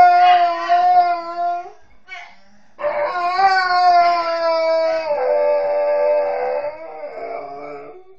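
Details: Alaskan Malamute, a female pet, howling while apparently missing her mother; long, smooth, wavering howls with rich harmonics, one held about two seconds, then a longer rising-and-falling howl over five seconds, with a woman's exclamations and music faintly behind.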